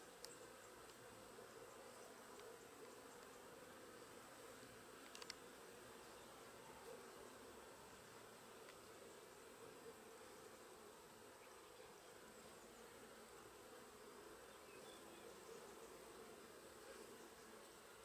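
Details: Sicilian honey bees at work, loaded with pollen: a steady low droning hum runs throughout, with a few faint clicks and light rustling over it.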